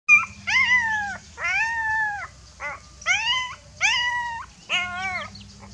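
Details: Frightened puppy crying for its mother: a string of high, drawn-out whines with stacked harmonics, each arching then falling, about five cries roughly a second long with short pauses, over a faint low hum.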